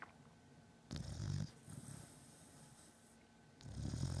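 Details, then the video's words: Pet beagle in deep sleep, snoring loudly indoors: two long, rough, low breaths roughly two and a half seconds apart, each a raspy rumbling burst with a hissing airy edge, quiet between. "Beagle snoring"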